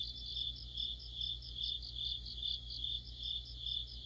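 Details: Mid-autumn insect orchestra led by crickets: shrill sustained trilling with evenly spaced pulsed chirps layered on top, several insects at once, steady low background hum.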